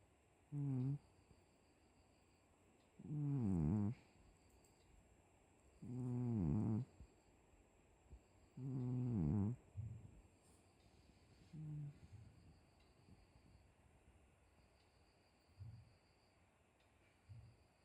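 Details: Cat asleep and snoring, a series of low rattling inhalations roughly every three seconds that are strong at first, then fade to faint short snuffles toward the end, against a quiet room with a faint electronic whine.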